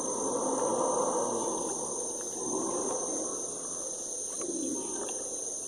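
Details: A group of howler monkeys roars at dusk in the Amazon near the Uacari floating lodge, Brazil: a deep, surging chorus that swells and fades over a steady insect drone; these calls carry for kilometres.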